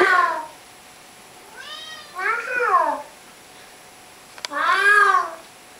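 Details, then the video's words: Pet cat holding a conversation with its owner, giving a series of clear, tonal meows: one short call, then a paired rising-falling meow, and after a pause another long, arching meow, with quiet gaps between. "Talking with the Cat"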